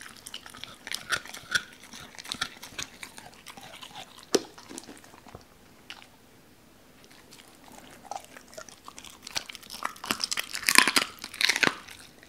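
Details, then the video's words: Doberman Cola crunching raw chicken bones, given pieces with the joints torn apart: rapid irregular crunches, a brief quiet pause midway, then a dense, louder flurry of chewing. "도베르만 생닭 먹방 ASMR"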